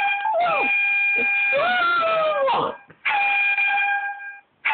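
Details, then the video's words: A pet dog howling along to an air horn app indoors: wavering, sliding howls rising and falling beneath loud, steady, flat horn blasts that stop and restart. "Dog howling to air horn app"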